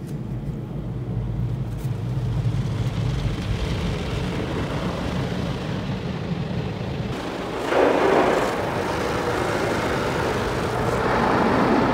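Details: Loud continuous machinery roar and rushing water spray from a car wash swell partway through, with no animal sound.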